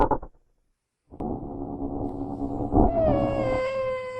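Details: Genet recorded in its natural habitat: a short rough burst, a pause, then a long harsh grating call that ends in a clear tonal wail sliding slowly downward.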